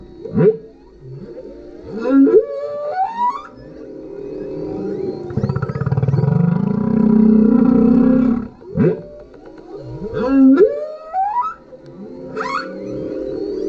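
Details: Male humpback whale singing underneath a kayak, recorded on a GoPro: repeated phrases of sharp upsweeping whoops and squeals around a sustained low groaning moan, the whoop pattern returning after about eight seconds.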